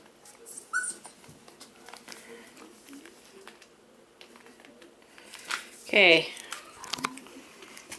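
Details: Five-week-old male Pomsky puppies indoors; a sharp, loud, high yelp bursts out near the end with a strained, falling edge, after faint squeaky whimpers early on, amid soft rustling and handling noises.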